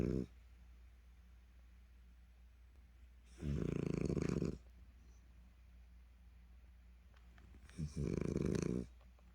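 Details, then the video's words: French Bulldog named Dal snoring heavily indoors, worn out after a cherry-blossom walk at the Daesin Park reservoir in Seo-gu, Busan; two loud, rasping snores about four seconds apart, each lasting roughly a second, with quiet breathing between. "프렌치불독 달이, 달이의 코골이"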